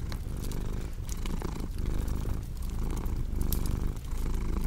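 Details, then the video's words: A domestic cat purrs in a low, continuous rumble that swells and fades with each breath, while sharp crackles and pops from a fireplace sound steadily on top. "Purring Cat with Cozy Crackling Fireplace Sound"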